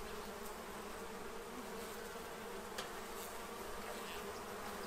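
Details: Many bees feeding from a tray to prepare for winter in Central Illinois, making a dense, steady droning hum with a low, even pitch that holds without pause, with a few faint clicks above it.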